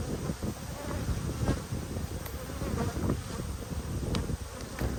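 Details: Dense, even drone of a honey bee colony while the hive is opened for inspection, 19 March 2022; low humming mass of wingbeats with soft rustles and occasional sharp taps.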